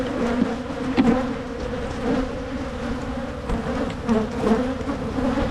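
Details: Honey bees at hives being split in Michigan to try to prevent swarming: a steady, dense buzzing hum with a low droning tone and a higher overtone, swelling slightly around one and four and a half seconds.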